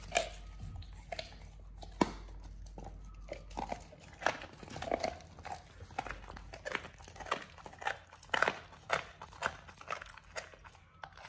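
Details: Oliang, a Pit Bull, eating a raw ostrich paw for the first time indoors: wet crunching and biting, irregular sharp cracks and smacks coming in quick uneven bursts throughout, with a low steady hum beneath.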